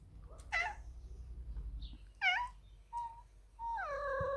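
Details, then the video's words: Ragdoll cat Pistache, a big male, meowing indoors to demand his daily cuddles: two short bent meows, a brief clear chirp-like note, then a long steady falling meow, with faint low room rumble beneath. "Cutest Cat Meowing for Cuddles - Ragdoll Pistache"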